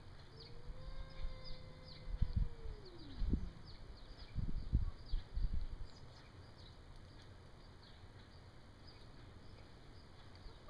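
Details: Bengal cat in an outdoor showdown with an alley cat, one cat bullying to scare the other away; a long, drawn-out moaning yowl sliding slowly downward over three seconds, followed by low thumps and scuffling sounds.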